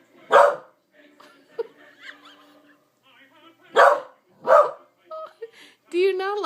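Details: A female Corgi gives a few sharp, loud barks, spaced a few seconds apart, amid quieter talking; she barks at one particular TV commercial every time it comes on, seeming to hate it.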